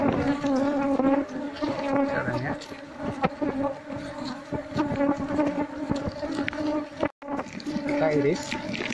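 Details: Apis cerana colony buzzing loudly while beekeepers slice the comb of an untended nest in a Seluma traditional house, moving the bees into a box. A thick, even hum dominates, with brief voices and a short break near the end.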